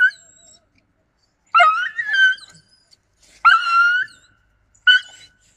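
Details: Yakutian Laika dog recorded in November 2020, giving three loud, high whining yelps, each starting sharply then holding a wavering, slightly rising tone before breaking off, with short silent gaps between them.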